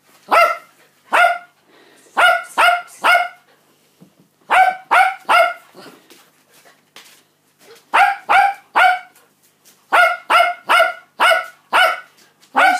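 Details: Cockapoo named Rosie, mother of a litter born 5 August 2016, barking at puppy feeding time on day 49: loud, sharp barks in quick bursts of three to four, separated by short pauses, repeated throughout.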